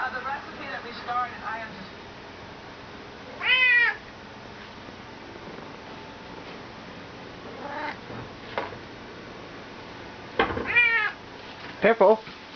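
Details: Petted Bengal cat chattering indoors: a series of strong, harmonic meows, one long drawn-out cry, then quicker clipped chirps and meows toward the end, with soft television speech running in the background.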